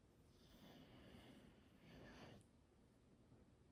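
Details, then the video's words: A sleeping English Bulldog being petted snores softly, with two breathy, rasping draws of air in quick succession. "Snoring Wrinkle Immersion…Petting a Slumbering English Bulldog ❤️🐾"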